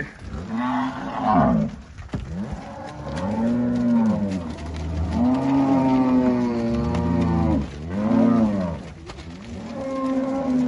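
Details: Herd of Angus cattle on a Brazilian farm in Alagoas moo almost continuously, long bellowing tones overlapping one another, with pitch dips and rises and a brief click near two seconds.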